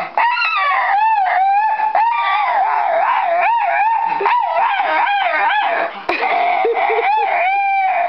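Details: Pet dog screaming at the TV and computer while watching them: loud, sustained wavering wails with many harmonics, pitch sliding up and down in continuous stretches, with one brief break near the six-second mark.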